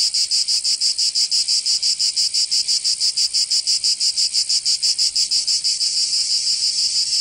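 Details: Summer cicada chorus from Provence in the south of France: a loud, high-pitched rasping buzz throbbing in regular beats roughly three per second, very even and continuous, nothing else audible.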